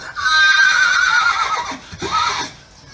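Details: Horse. A horse lets out a long, wavering whinny, high at the start and trembling as it falls in pitch. After a brief pause, a shorter, fainter neigh follows before the sound fades.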